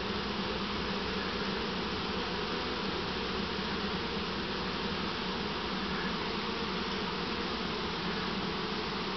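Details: A newly captured honey bee swarm, taken from a swarm trap and being put into a deep hive that it dislikes, makes a dense, steady, continuous drone.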